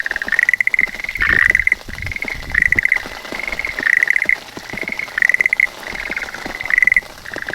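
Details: Schlegel's green tree frog on a calla lily leaf in beginning rain, phone recording: six quick rattling trills, each slightly rising in pitch, spaced about a second apart, with soft rain taps in the background.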